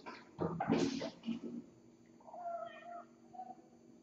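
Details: Kittens in a cat room in the morning, picked up by a Logitech C920 webcam: scuffling thumps and short noisy bursts at the start, then a drawn-out tonal meow with a quieter follow-up.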